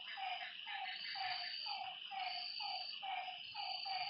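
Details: Night-time lakeside frogs: a few quick, nasal croaks spaced under a second apart, half-buried in a loud, steady, high insect hum.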